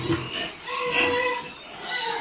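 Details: Duroc pigs on a pig farm in Assam, giving overlapping harmonic squeals and grunts that rise and fall in loudness over two seconds, with a busy farmyard background.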